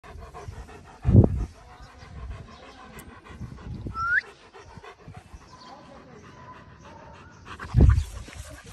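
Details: German Shepherd puppy panting in hot weather: rhythmic low breathy huffs with stronger bursts near the start and end, a short rising squeak midway, and faint background noise.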